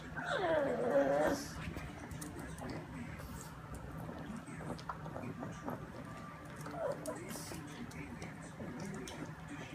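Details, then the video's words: Family pug Bambi, a female, making her unusual whining noise during a meal: a loud, wavering, nasal whine in the first second, then quieter snuffling and eating sounds over a low household hum. "Bambi Our Lovely Pug makes whining noise while eating"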